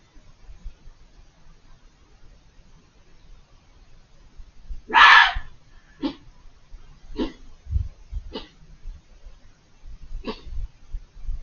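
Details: Vocal fox hidden on the other side of a hedge: one long, loud, hoarse scream followed by four shorter, fainter yelping calls spaced about a second apart, with low thumps of background noise.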